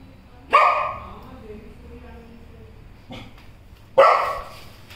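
A Golden Retriever gives two loud, deep barks a few seconds apart.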